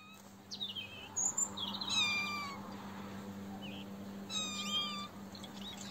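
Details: Domestic cats, kittens drinking milk with their mother cat nearby, with several short high mewing calls, some rising and falling, over a steady low hum.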